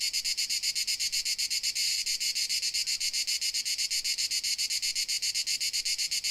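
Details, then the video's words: Crickets from Dalmatia give a high, metallic chirping in fast even beats, about six per second, with a brief louder swell near two seconds, steady to the end. "Dalmatia Crickets Sound Effect"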